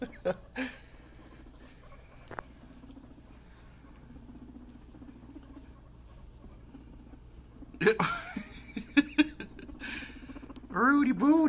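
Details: Pet guinea pig Scruff at floor time with a friend: after quiet rustling, loud rising-and-falling squealing wheeks arrive in bursts near the end, mixed with a person's voice talking to the animal.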